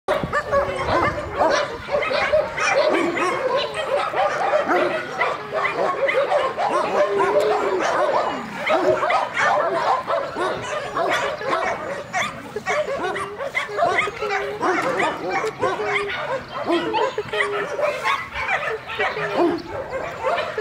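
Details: Puppy barking and yipping almost without pause, a dense run of sharp, bright yelps that overlap one another for about twenty seconds with hardly a quiet gap.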